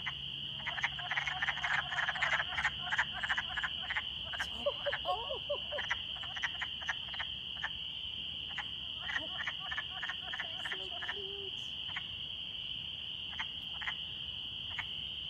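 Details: In spring in Eberwhite Woods, Michigan, a breeding chorus of wood frogs gives rapid, duck-like clucking calls over a steady high-pitched drone; spring peepers are also out.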